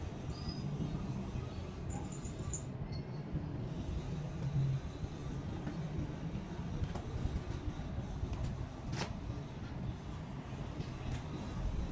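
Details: Steady low rumble of a moving vehicle, with faint background music, a few sharp clicks and rattles, and no animal voices.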